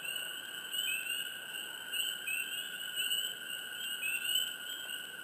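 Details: Frogs in a swamp, heard close: short rising chirps near the upper middle register recur irregularly, about once a second, over a steady high-pitched chorus drone.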